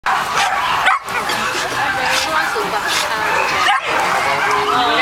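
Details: Many Shetland Sheepdogs out together at a sheltie gathering: sharp overlapping barks and yips in a busy chorus, with people chatting in the background.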